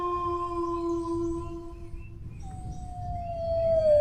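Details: Steady sustained howl from a dog that fades out. After a short pause a second long note begins, gliding gently down in pitch. A low murmur of background noise continues throughout.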